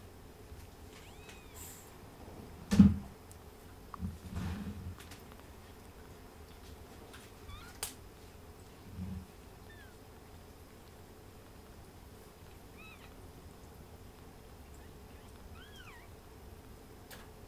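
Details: Ragdoll kitten suckling, with soft thuds and a few brief high thin mews rising and falling, scattered across the recording over a low steady hum.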